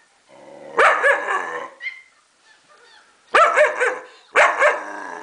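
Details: Four-month-old German Shepherd barking in reaction to a played recording of German Shepherd puppies making noises; three harsh, rough barks spread over five seconds, with a brief high whine after the first.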